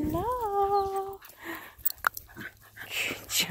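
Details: Smooth Fox Terrier during a burst of zoomies indoors, giving a high rising-then-level whine lasting about a second, followed by scuffling, thumps and short bursts of noise as it runs around a small room.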